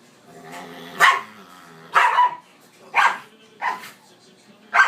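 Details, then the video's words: Dogs at play giving five loud, sharp barks spaced roughly a second apart, each a brief broadband burst, with faint voices in the background. "Dogs playing"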